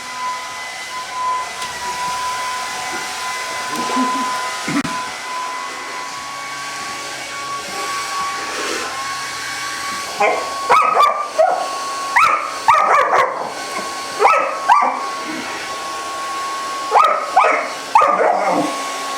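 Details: A 5-month-old German Rottweiler puppy attacks a hair dryer, yapping in quick, high bursts over its steady roar, with music and a person speaking.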